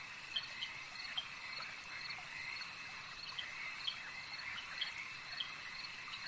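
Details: Lakeside frogs give brief sharp clicky notes at uneven intervals, a few per second at times, layered on a constant shrill insect hum with soft water sounds.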